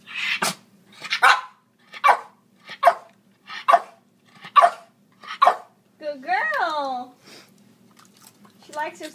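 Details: A female pet Lhasa Apso counting to ten on command: about eight crisp, evenly spaced barks, then a drawn-out, wavering, falling voiced sound and murmured speech close by.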